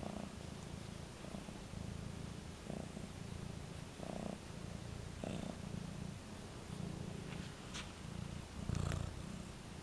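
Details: Pet cat at a new scratching post purring in a steady low rhythmic rumble, with soft pulsing pulses of louder breaths throughout and light rustles.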